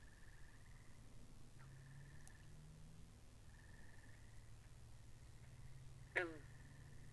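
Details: Binaural recording of frogs beside a pond: gentle buzzy trills recur through the clip, then one sudden, loud, rattling croak sweeps downward near the end, over a steady low hum.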